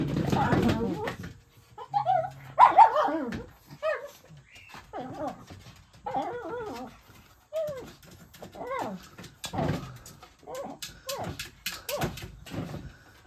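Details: Mitzi, a pet dog, playing with and chasing a large ball, gives short harmonic barks and whiny yelps in uneven bursts, some arching upward in pitch, with thumps and a human voice now and then.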